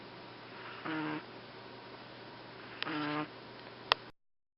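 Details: Fuku-chan, a Boston Terrier napping the day after coming home, lets out two buzzy snoring breaths about two seconds apart, then a sharp click before the sound cuts off.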